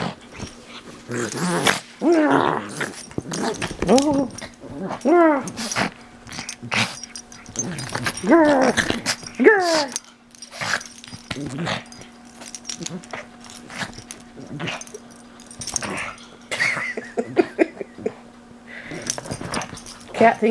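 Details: Pug enthusiastically mauling stuffed toys indoors, growling and giving bursts of whiny, rasping noises, with a steady low hum and a person laughing and talking throughout.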